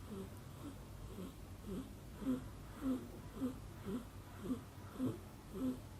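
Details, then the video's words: Mother cat snoring while her baby kitten Tomi dozes on her shoulder; soft, low rhythmic snores about twice a second, steady and even, in a quiet indoor room. "Baby kitten Tomi soundly dozes off on the mom cat's shoulder who is snoring"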